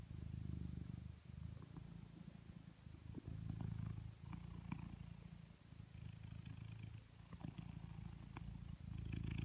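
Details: Coconut, a blue British Shorthair cat, purring while being brushed: a steady low rumbling purr in long even stretches, broken by short pauses and light scratchy brushing strokes.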